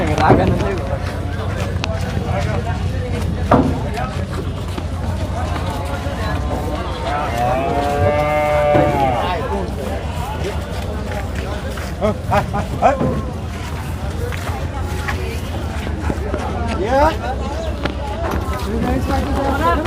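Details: Cattle brought for Eid Qurbani sacrifice at the Jamjama cattle market, 2025. About halfway through, one long, drawn-out moo rises and falls. Steady crowd chatter, calls from traders and low vehicle rumble continue throughout.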